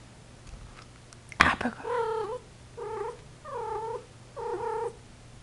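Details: Female Persian cat in heat, calling indoors: after a sharp knock, four drawn-out, moaning mews of even length, each dipping then rising slightly, spaced about a second apart, with steady low hum behind.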